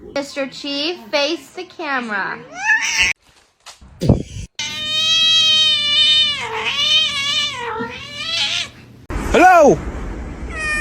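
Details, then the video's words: Cats in a cat fight: long, drawn-out wavering yowls and a run of short rising-and-falling meows, with human speech over parts and abrupt cuts between scenes. "Cat Fight"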